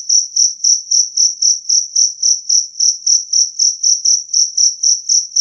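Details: Jangkrik kalung, the two-spotted cricket, chirping loudly and clearly, a sound claimed to repel rats; a high, narrow-pitched trill of evenly spaced pulses, roughly 22 in five seconds, against silence.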